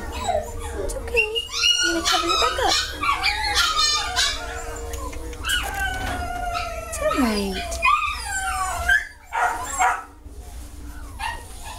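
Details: Several dogs whining and yowling in long, wavering, rising and falling cries alongside short yips, the calls overlapping densely, while people can be heard talking in the background.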